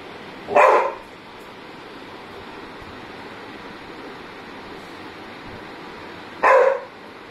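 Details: Labrador named Mowgli, scared of his own shadow, gives two single sharp barks about six seconds apart, each a short loud burst, with quiet steady background noise between.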